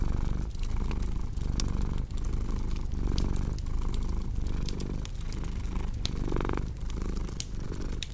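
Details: Steady rumbling purr from a cat, beating in short inhale-exhale cycles roughly twice every second and a half, accompanied by frequent crackling fireplace snaps.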